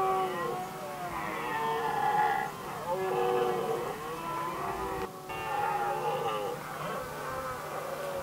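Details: Red deer stags in Sweden's Västmanland, 2010, competing for hinds. Several roars overlap almost without a break, deep and harmonic with a wobbling pitch, each lasting one to two seconds before the next swells in.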